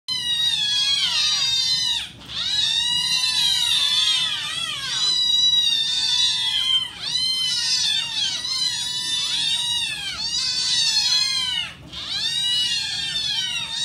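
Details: A hungry litter of Scottish Fold cats meow loudly and insistently together, begging for their breakfast of wet food.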